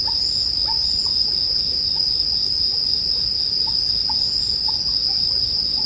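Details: Bell crickets singing as a continuous, bright, high ringing drone, layered with the soft crackle of a bonfire and faint lower chirps recurring about every half second, arranged as calming sleep ambience.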